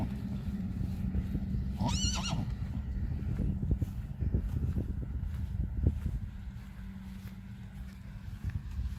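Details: Friesian filly on her first time out in the field, giving one short, wavering whinny near the two-second mark, followed by soft hoof thuds and rustling over a low steady rumble.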